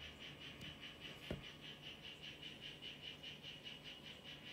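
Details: Mimic poison frog, Ranitomeya imitator of the 'Chazuta' form, calling inside a terrarium: an even series of short, high buzzy pulses, roughly four a second, running throughout, with one soft thump near the start.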